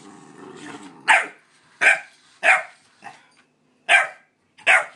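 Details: A pit bull puppy indoors runs from and barks at a light-up remote-control car, giving short, high, sharp barks at uneven intervals of about a second.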